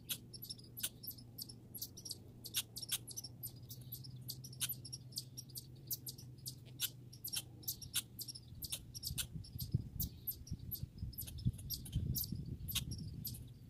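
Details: Grey and red squirrels in a backyard produce sharp, high chipping clicks in loose clusters, with soft low thumps and a humming background growing near the end.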